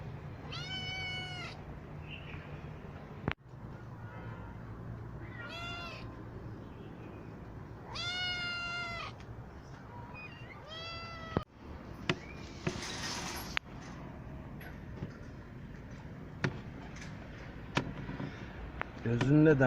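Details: Rescued kittens raised safely with their mothers in a cat house mew repeatedly, clear rising-falling harmonic meows in the first half, then rustling, clicks and thumps of handling over a low hum.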